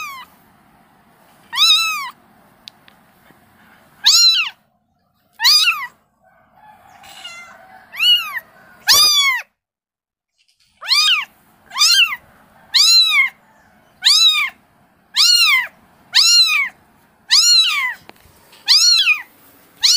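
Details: Kitten calling its mother: steady series of short, high, arched meows, roughly one per second, loud and harmonic, with a brief thump near the middle and quiet gaps.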